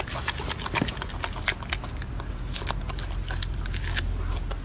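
A golden monkey chewing noisily, with crisp crunches and wet smacking clicks over a low background rumble.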